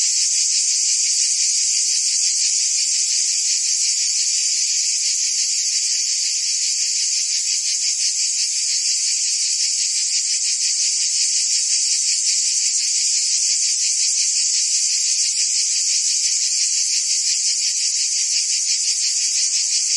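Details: Cicadas buzzing among forest trees, a long sustained shrill drone with fast fine pulses, even and unchanging, no birds or other noises.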